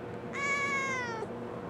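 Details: Kitten answering its owner's spoken questions with one clear, steady meow, about a second long, holding level and sliding slightly down at the end, over a quiet indoor hum.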